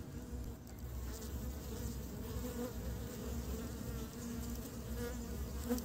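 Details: Honey bees in early spring bringing pollen back to build the nest; an even, deep hum of many wings with steady overtones, lasting throughout with little change in loudness.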